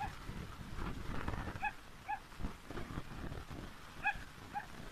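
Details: Yorkshire terrier farm dog hunting fish, giving short high yips in pairs, two near the start and two more about two seconds later, over steady low rumbling outdoor background noise.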